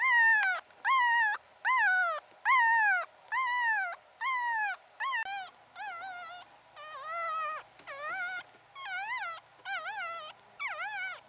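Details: Persistent crying of a newborn Pomeranian pup, sole survivor of a first litter of three; roughly a dozen high, clear whines, the early ones falling in pitch and the later ones wavering up and down, about one per second.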